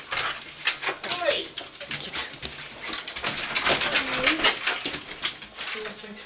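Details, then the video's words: Soft Coated Wheaten Terriers, five dogs in a home, giving the excited 'Wheaten greeting': curving, yodel-like whines rising and falling, one near the start and a longer one midway, over human chatter and scrabbling, clicking noises indoors. "The Wheaten Greeting"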